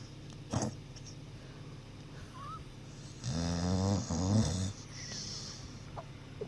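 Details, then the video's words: Sleeping pet dog Cali, dreaming after a long day, lets out one long, loud, vibrating snore lasting over a second, with quieter breathy sounds before and after. "MY DOG SNORING & DREAMING"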